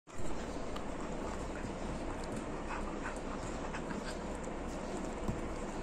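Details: A Rottweiler puppy chews steadily, making a dense crunchy rasp with scattered sharp clicks.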